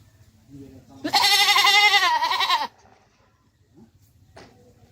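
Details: Farm Beetal goat from Haryana, a doe that has just given birth to one kid, with her young; a single long, quavering bleat of about one and a half seconds that trails off, with soft voices around it.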